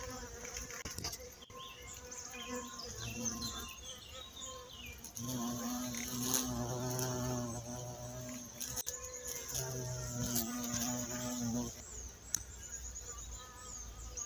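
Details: Violet carpenter bee in Mazovia, Poland, a species once considered extinct there since 2002: a low droning buzz in bursts of several seconds, steady hum with harmonics, rising and fading as it moves, over a faint background with other high insect or bird sounds.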